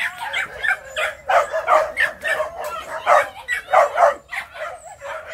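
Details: Phu Quoc dog puppies, three to four months old, hunting rats at a kennel in Saigon, Vietnam; sharp yapping barks repeated about every half second, steady and excited throughout.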